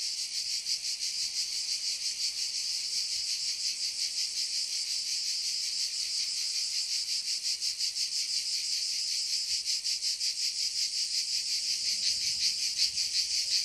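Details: Continuous high, sizzling drone of cicadas in a forest, beating with a quick regular pulse and holding an even level throughout.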